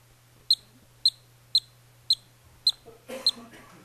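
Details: A yellow-bellied marmot pup, on the day it emerges from its burrow, gives the normal alarm call: a string of short, sharp, high whistles about twice a second.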